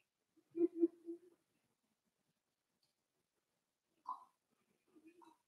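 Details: Four-week-old Cavalier King Charles Spaniel puppies from Daisy's litter in their indoor puppy pen: two quick high squeaks run into a longer whining note, then, after a quiet gap, a brief yelp and a soft drawn-out whine.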